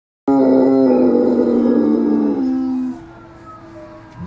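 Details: A Great Dane gives a deep, sustained howl that slowly falls in pitch and then fades.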